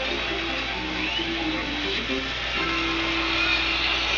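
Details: Plucked guitar music with a voice over it, continuous throughout, with no animal calls heard.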